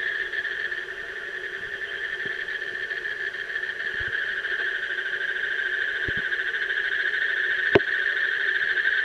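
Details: Asian common toad trilling in a rapid, even pulse that holds steady throughout, over a lower steady hum and scattered faint thumps, with one sharp click near the end.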